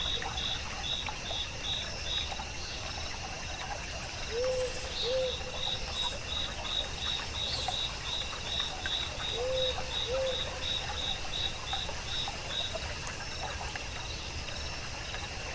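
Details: Crickets singing softly in a still forest of moss and mushrooms beside water: trains of soft, rapid high chirps over a steady high whine, two brief paired low upswept notes, and a constant rush of flowing water.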